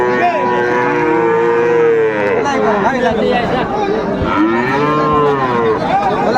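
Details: Young Friesian and cross-breed bull calves, around three to four months old, bellow at Raniganj market in Dinajpur on 2 May: a long level moo, then two shorter arching moos, over busy crowd noise.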